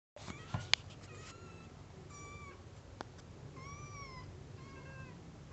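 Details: Newborn white kitten lying beneath its mother shortly after birth, giving thin, high tonal mews, four or five short cries, some gently rising and falling, over a low steady room hum.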